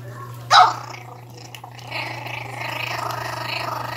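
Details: A 60-day-old Pinscher puppy guarding its food gives a sharp yap, then a steady, rasping growl.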